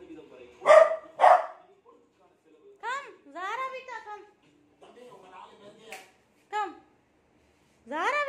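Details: Beagle frightened by a new cot gives two sharp barks, then rising and falling whining howls, with a few softer sounds in between.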